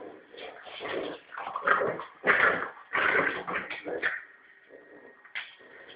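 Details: Prince Harry, a Norfolk terrier puppy about three and a half months old, growls during play with his ball on a rope, showing what he would do to a rat. Rough, throaty bursts come in irregular surges with brief pauses between them.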